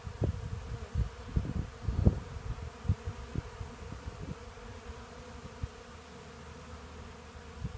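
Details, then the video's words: Honey bees swarm around a portable sawmill to gather sweet Black Locust sawdust, their low buzzing hum steady beneath bursts of knocking and thudding that fade after about four seconds. "Honey Bees at work"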